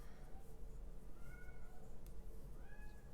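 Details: Young male kitten stuck outside and wanting in gives two drawn-out, gently falling meows, faint and muffled as heard from inside the room, with a constant low electrical-sounding hum beneath.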